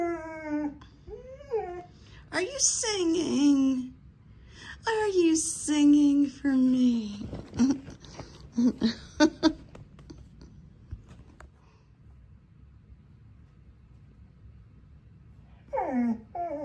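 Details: Reese, a female pet dog indoors, 'talks' and 'sings' after hearing her owner sing: wavering, gliding whine-howls that slide downward, in several bursts with pauses, and a person's voice and music between them.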